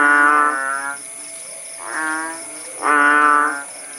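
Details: Kodok bangkong frogs calling in the countryside after the rain has stopped, at Paya Bujok Tunong, Langsa, Aceh. Three nasal, bleating calls rich in harmonics, each about a second long. A steady high-pitched insect whine runs throughout.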